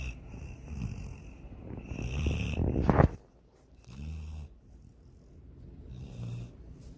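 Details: Sydney the dog snores while dreaming of chasing a rabbit and swimming; a rough, rising snore builds to a sharp snort, then a short pause and softer low breathing snores.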